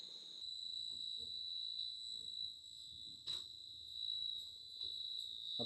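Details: Crickets chirp in a steady, high, shrill trill that carries on without a break, heard at a riverside resort on the Dhaleshwari River in Keraniganj, Dhaka, Bangladesh, amid green village surroundings.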